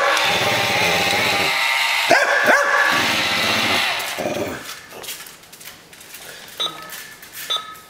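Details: Dog Mia squares off against a Buzz Lightyear toy in play: a rumbling growl with two or three quick barks in the middle, then quieter scattered sounds and handling noise.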